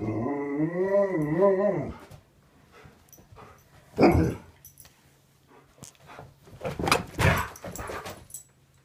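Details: Alaskan Malamute kept as a pet, greeting its owner indoors in the morning with a wavering, yodel-like moan for about two seconds, followed by footsteps, thumps and rustling in a small room.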